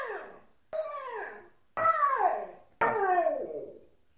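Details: A male Siberian Husky, told to go into his house, gives a run of short, wavering howls that rise and then fall, sounding like protest.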